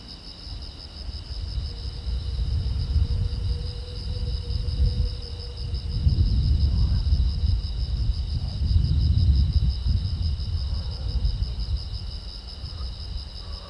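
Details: Crickets on a silent road at night chirp in a steady, high, pulsing chorus over a low rumble of passing traffic.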